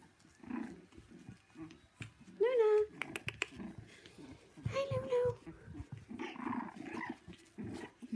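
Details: Shih Tzu puppies playing rough house indoors: short high yelping whines with clear overtones at about two and a half and five seconds, over low scuffling growls, with a person talking.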